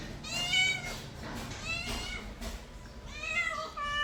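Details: Mother cat with kittens indoors, several thin high-pitched meows that dip and fall, coming in quick succession with a short gap before a final pair, over a faint hiss.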